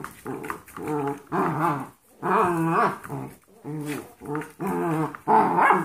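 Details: Foster puppies playing together indoors: 14-week-old Golden Retriever mixes and 5-week-old Yorkshire Terriers. Short rough play growls come in bursts about every second, low and throaty with gruff grumbling, separated by brief pauses.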